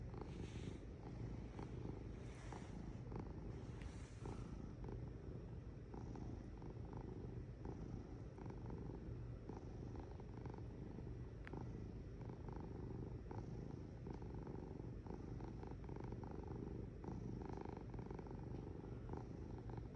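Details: Long stretch of continuous cat purring: a rumbling, motor-like hum pulsing rapidly, with breath-linked swells every couple of seconds and small scattered clicks.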